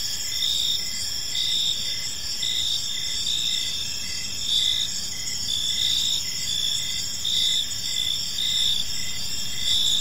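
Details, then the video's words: Crickets chirping on an evening in a park, a dense chorus of high, steady trilled pulses layered in several bands, with soft low background rumble throughout. "Park Serenade: Cricket Sounds in a Peaceful Park | Evening Ambience"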